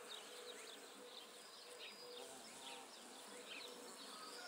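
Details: Bee feeding on Judas tree flowers (Cercis siliquastrum), going from bloom to bloom; a soft steady hum with short pulsing tones, set against a hissy background with faint high chirps.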